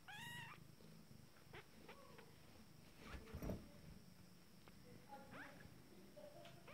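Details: Fourteen-day-old Abyssinian kittens from a first litter, taking their first steps, give one brief high mew at the start, then faint scattered squeaks over a continuous low purr and soft rustling.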